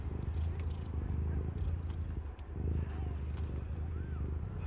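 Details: Aimee, a young domestic cat not yet one year old, purring while giving birth to five differently coloured kittens; a steady low rumbling purr runs throughout, with a brief faint squeak near the end.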